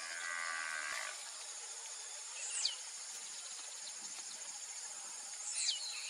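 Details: One nasal moo about a second long comes from half-blood Angus heifers (Nelore × Aberdeen Angus) on an extensive cattle ranch. It then fades into a continuous insect hum with two brief bird chirps.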